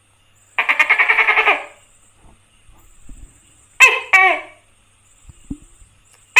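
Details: A tokay gecko (Gekko gecko) in India gives a quick throaty rattle, then two loud, barking notes.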